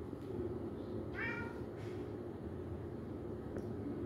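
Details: Playful kitten playing with balloons gives one short, slightly falling, nasal meow lasting under half a second, followed by a fainter brief cry, against a constant low rumbling background noise.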